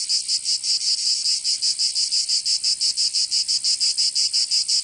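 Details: Provençal cicadas singing in summer in the south of France, a strident buzz pulsed in crisp, even bursts about three per second over the short stretch.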